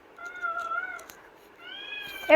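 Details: Pet kitten Pavi meowing from inside a cage to be let out. Two long, clear, tonal meows, the second higher, with a sharp knock at the end.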